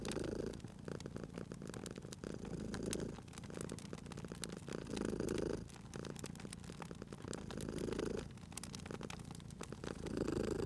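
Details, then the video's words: Purring cat dozing by a crackling fireplace in cozy spring surroundings; deep, vibrating purr returns about every three seconds with each breath, while wood crackle and sharp snaps run continuously. "Cute Purring Cat at a Crackling Fireplace"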